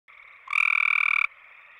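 A gray treefrog gives a loud, rapid musical trill lasting under a second over a distant frog chorus.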